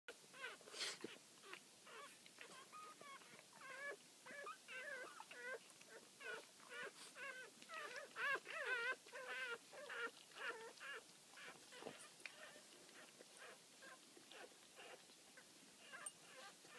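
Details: A litter of newborn Boston Terrier puppies nursing right after birth give a steady stream of thin, wavering squeaks and whimpers that overlap one another.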